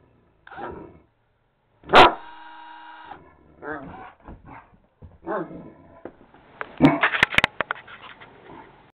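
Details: Great Dane; bark; fearful reaction to the noise of a drill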